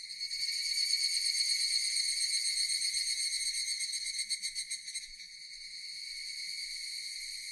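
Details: Japanese cicadas in a relaxing nature recording, a strong high, sizzling buzz with a distinct rapid pulsing around the middle before settling into a smoother, slightly softer drone.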